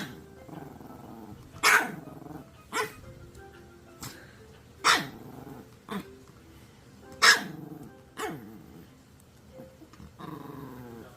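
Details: Maltese dog indoors, a pet, giving short sharp barks at irregular intervals, about nine over eleven seconds, some with a growly edge, over faint background music.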